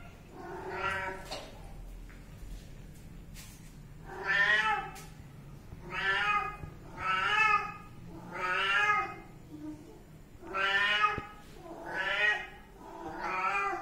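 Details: Kitten meowing again and again, about eight drawn-out harmonic meows spaced one to two seconds apart, each rising then falling in pitch, indoors with little background noise.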